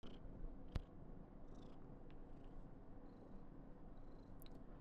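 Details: Karen, a female Somali cat born 19 November 2021, purrs indoors in a burst of affection on her 995th day. The purr is a steady, low rumble with a faint hum, plus a sharp click near the start and small scattered ticks.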